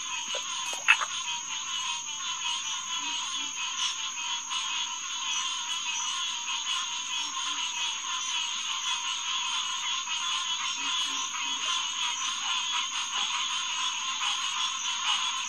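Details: Night chorus of Green Tree Frogs, Hyla cinerea, at SMNWR's HQ Pond, June 2, 2021, about 9:10 pm. Many callers blend into a continuous pulsing honk, with one sharp louder note near the start and a constant high-pitched drone overhead.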